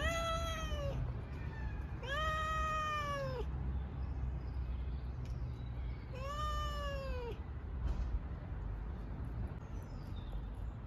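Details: Garden stray cat at feeding time, offered milk or dry food, gives three clear, long meows that rise then sag, the first two close together and the third after a pause, over steady low hum.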